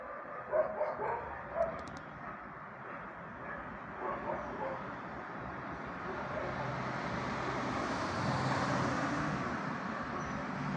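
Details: Several dogs barking nearby, a burst of short harsh barks in the first two seconds and a few more around four seconds, then fading under a swelling broadband rumble like a passing vehicle.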